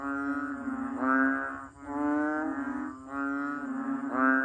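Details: Banded bullfrog calls, a rich nasal bleating drone swelling and fading in roughly one-second pulses, with the notes running together into a continuous low, reedy hum.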